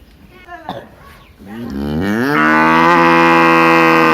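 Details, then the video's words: Big cow in a village giving a rising moo that swells after faint background sounds and then holds steady and loud to the end. "cow sound | funny sound of big cow"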